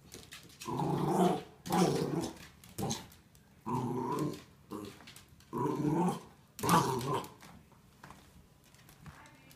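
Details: Playful growling from Nicholas, a Wire Fox Terrier puppy tempting the dog Chewy with a blue dinosaur toy in a small bedroom; throaty rumbles last about a second each, repeated five or six times with pauses between.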